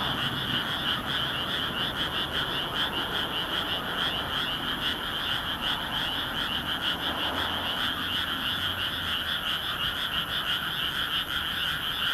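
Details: Night chorus of many frogs in a moonlit rice field in Nagoya, Japan, 13 May 2016, recorded on a compact camera: an unbroken wall of rapid, rattling croaks layered in two pitch bands, with no pauses.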